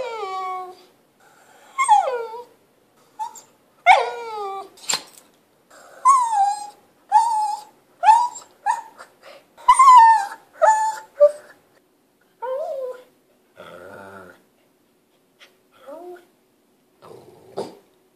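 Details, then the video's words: A pet Lhasa Apso fussing to be played with as its owner handles a camera. A long, busy run of rapid yips and bending, nasal whines, many bursts crowded closely together, then softer, sparser whimpers trailing off at the end. "Mini dog symphony by Beethoven, our lhasa apso"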